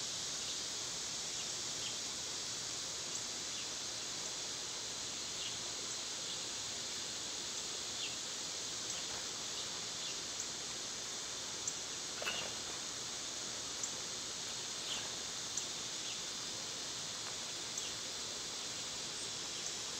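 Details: Summer cicada chorus, a continuous shrill buzzing wash that never drops, with scattered soft ticks and a single brief snap near the middle.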